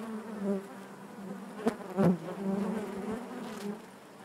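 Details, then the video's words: Honey bees buzzing in the hive: an even, low drone with a couple of sharp louder flybys close by around the middle. "bees therapy hive natural buzzing sound"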